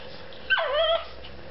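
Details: Shih Tzu dog during play, feeling taunted, lets out a single half-second whine that starts high, drops quickly and then levels off, in an otherwise quiet room.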